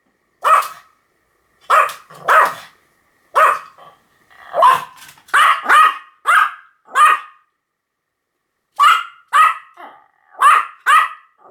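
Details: Pomeranian barking: thirteen short, sharp yaps in irregular bursts, some paired, with brief silent gaps between them and a clean indoor background.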